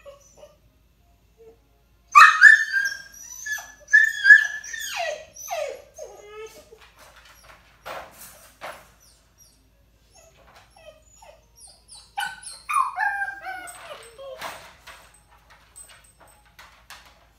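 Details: Crated puppy being ignored, whining and barking from crate anxiety or demand; two bursts of high yelping whines separated by long quiet stretches with scattered clicks, indoors in a small room.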